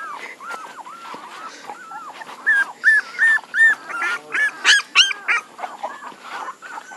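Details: Puppies whimpering steadily, with soft arched whines giving way to a louder regular series of about eight high yelping cries, each lasting under half a second, then fading back to quieter whining.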